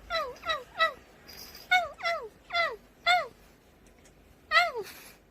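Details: Brief downward-sliding mews from a cat, spaced unevenly about half a second apart, form a few small groups with quiet gaps and light rustling noises.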